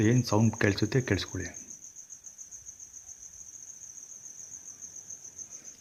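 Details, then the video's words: Insects calling around a house while its residents are away: a steady, high, unbroken shrill ringing tone runs throughout, with a person speaking over the first second and a half before the insect sound carries on alone. "Insects Sound"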